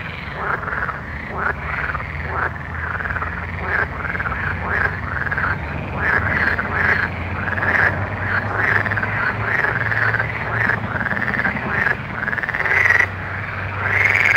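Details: Frogs calling at night: a dense, continuous chorus of overlapping croaks, short rasping pulses repeating several times per second, over a steady low hum throughout.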